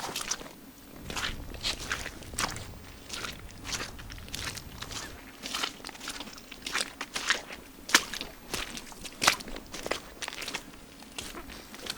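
Crunching footsteps on gravel or snow, with sharp irregular impacts and no animal voices.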